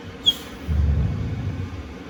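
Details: A male Golden Retriever in deep sleep, dreaming, gives a low, rumbling snore like an old grandpa's after a brief high squeak.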